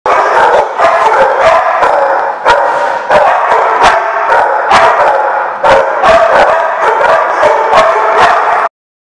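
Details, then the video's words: Dogs at The Barking Lot, recorded 3/6/15, barking loudly and almost nonstop, with sharp overlapping barks and yips packed closely together, suggesting several animals, before an abrupt cut to silence. "The Barking Lot"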